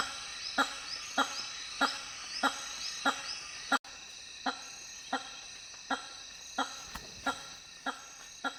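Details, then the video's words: A hammer-headed fruit bat gives loud, blunt honks repeated steadily about every half second over a high, constant chorus of insects. "The weird sounds of Hammer headed fruit bats"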